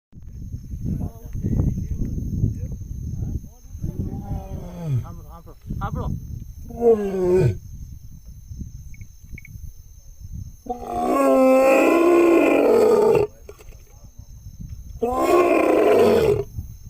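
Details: Asiatic lion (Panthera leo persica) in Gir roaring: deep, breathy grunting roars, with human voices heard nearby.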